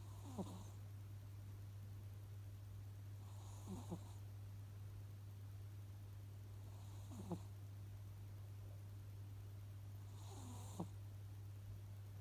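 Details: Domestic cat asleep, snoring faintly: four soft snores spaced about every three and a half seconds, each a short breathy rasp, heard over a steady low electrical hum.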